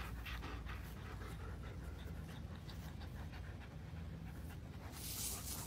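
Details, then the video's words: German Shepherd dogs panting in quick, steady breaths, each puff a soft broadband rasp, over a constant low rumble of background noise. "German Shepherd dogs"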